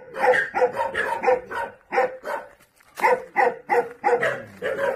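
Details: Jindo dogs on Jindo island, Korea, barking in a rapid, irregular series of sharp, mid-pitched barks, several overlapping, with a brief pause near the middle before the barking resumes.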